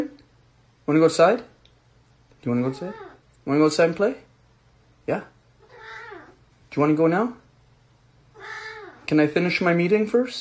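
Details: Pet cat in a small room giving a string of harmonic, wavering meows, roughly one every second or two, mixed with human voices and a steady low hum.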